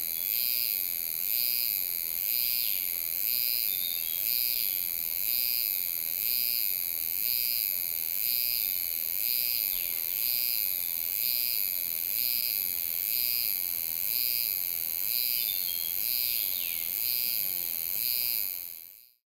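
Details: Euterpnosia laii cicada singing in July at Alishan, Taiwan, captured with a Sony A7s3 and Rode VideoMic NTG. Its shrill, high buzzing comes in pulsing phrases repeated roughly once per second, steady and regular, then stops abruptly at the end.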